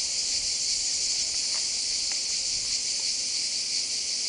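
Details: Male cicadas sing a steady, high, hissing drone that never lets up, described as a "coquettish" courtship song.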